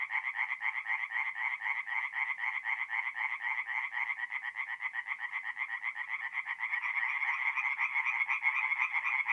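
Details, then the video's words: Tree frogs calling at night from a forest pond in north-east Italy in mid-April: dense, rapid croaking pulses, about four per second, steady throughout, with bright energy around two kilohertz and no other sounds. "relaxing forest pond by night with singing tree frogs"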